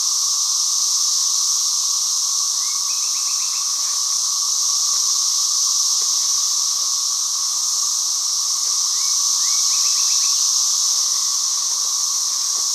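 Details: Cicadas sound one long, even, shrill buzz that never pauses, while a few faint short chirps rise twice in the background.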